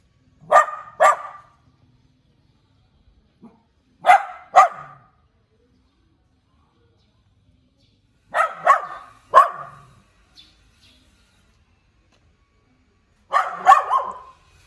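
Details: Cute puppy barking: sharp, high yaps mostly in quick pairs, with a group every four to five seconds, and near silence between them.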